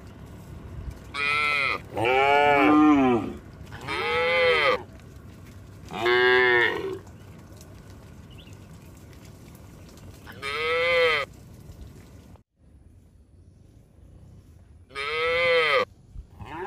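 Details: Tame cattle herd heading along a mining road toward a green village, several animals mooing in turn: six drawn-out, harmonic calls, four bunched early, then a pause with quiet ground noise before two more.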